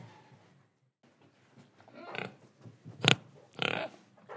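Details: Pig in Indonesia, breathing and eating: soft snuffling breaths, then a series of short, rough, noisy grunts and snorts in the second half, the middle one the sharpest, with quiet rustling between them.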